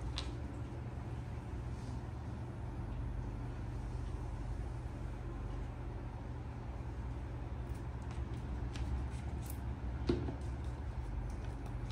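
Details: Steady low hum in a small room with faint scattered handling clicks; no animal voice is heard.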